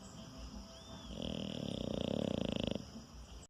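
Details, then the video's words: A docile pet French Bulldog snoring as it sleeps; a rattling, fluttering snore of about one and a half seconds, pulsing rapidly and growing slightly louder before stopping, with quiet room sound around it. "Cachorro Bulldog Francês roncando. Ronca enquanto está dormindo."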